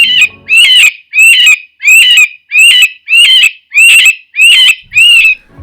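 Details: An eastern cottontail rabbit gives nine loud, shrill, wavering distress or alarm screams, about two per second, each sharply cut off; little else is heard; finding: Eastern cottontail.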